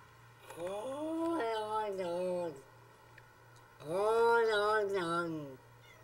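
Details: Domestic cat making two long, drawn-out, speech-like meows that rise and fall in pitch, with a pause of over a second between them.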